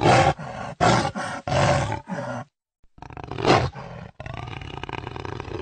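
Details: Jaguar voice: a quick series of short, hoarse sawing grunts, about five in a row, then a pause followed by a longer rasping roar that trails into a rumbling groan.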